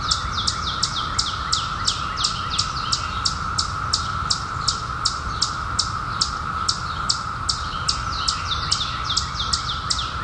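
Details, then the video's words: Periodical cicadas, out in 2021 after 17 years below ground, hold one even buzzing tone throughout while a bird calls over them with rapid, falling, whistled chirps in a long, steady series. "SOUND OF CICADAS"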